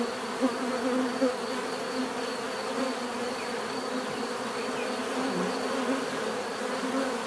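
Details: Many bees buzzing together in a steady, dense hum with layered drone tones, a continuous swarm sound with no other voices.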